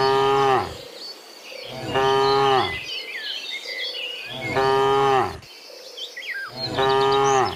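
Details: Herd of cows returning to the barn from the field in the morning, mooing four times in about seven seconds, each call falling at the end, with birds calling and insects humming throughout.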